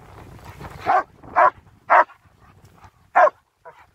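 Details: German Shepherds on a winter wander near Hawick, Scotland, filmed on a phone: sharp barks about half a second apart, then a longer gap before another, with a man calling commands in the background.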